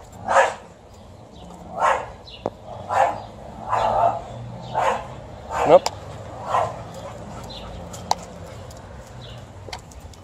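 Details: Alaskan Malamute confronting a couple of angry dogs: a run of about seven throaty barks, roughly one per second, growing weaker toward the end, with brief clicks and faint background noise between them.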